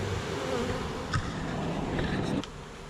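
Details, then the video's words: A small swarm of bees in a neighbor's tree, recorded on May 8, 2023, as they are shaken into a nuc box while fanning. A dense, steady low hum fills most of the clip, then drops off sharply near the end. "Bee Swarm Rescue"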